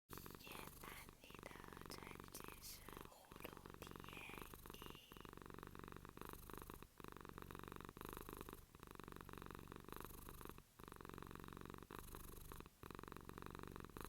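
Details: Domestic cat purring steadily at close range indoors, a continuous low rumbling throb broken by short breathing pauses roughly every one to two seconds; faint higher voice-like sounds appear early on.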